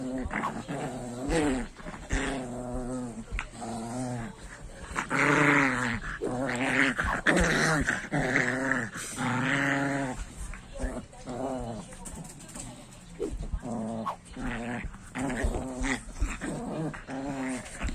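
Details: Female pinscher growling and grumbling while doing something with a jacaré (alligator). She makes a run of short, voiced, pitch-wavering growls in bursts through the recording, with a few louder, brighter stretches in the middle.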